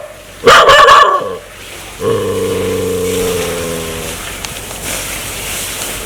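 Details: Aggressive dog wanting to bite people: a loud harsh bark burst, then a steady low growling tone held for about two seconds before fading into background hiss.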